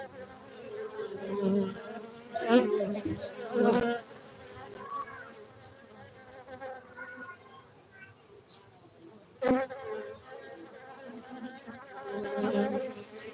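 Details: Buzzing of cultivated honey bees in Bener Meriah, Gayo highlands of Aceh, Indonesia: a steady low drone rising in loud surges around several moments, with sharp clicks or knocks breaking through twice.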